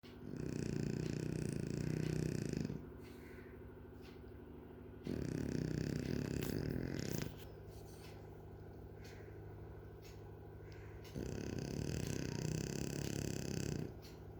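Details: French bulldog snoring while asleep: three long, loud, rasping snores, each lasting two to three seconds, separated by quieter stretches of steady, rattling breathing, indoors.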